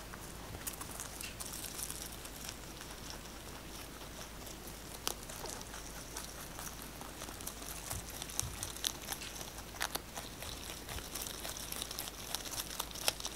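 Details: Pet rabbit 꽃돌이 munching fresh basil, recorded close up for ASMR: dense bursts of crisp, crackly crunching clicks that come in quick, uneven runs, with louder snaps near the end, in a quiet indoor setting.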